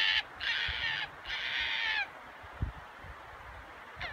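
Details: A red fox at a red fox farm in Kitami, Hokkaido, Japan gives two harsh, raspy, drawn-out calls in quick succession, then a brief third; the recordist calls this roar rare and had never heard it before.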